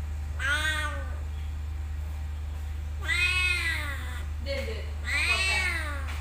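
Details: Three meows from a cat at a motorbike parking lot, loud wailing cries with slightly arched pitch, spaced a couple of seconds apart, a short softer chirp between them, and a steady background hum.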